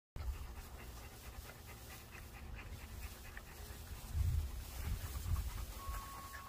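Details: Rottweiler puppies, a female beating up her brother, growl low and rumbling while play-fighting, with heavy panting between the louder bursts.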